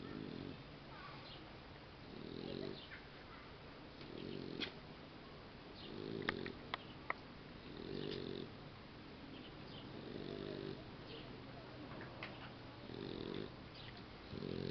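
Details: Boxer puppy asleep and snoring: soft rasping snores come in short bursts about every two seconds, low and muffled, over a faint steady hiss.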